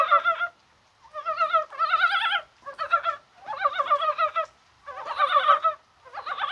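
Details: Chorus of mountain frogs in January rain on a mild, spring-like day, perhaps at spawning time. Rich, warbling croaks pour out in thick overlapping bouts lasting up to a second, broken by short silences.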